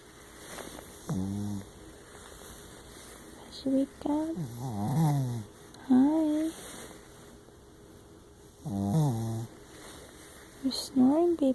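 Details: A Shih Tzu–Yorkshire Terrier dog, tired from a hike, snores in short, low, rattling breaths every few seconds while a woman speaks gently, coaxing it to wake up.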